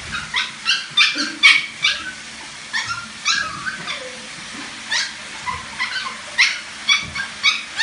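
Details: Teacup poodle wanting a bath, giving a string of short, high whining yelps and whimpers in quick bursts, some rising, spaced irregularly over several seconds.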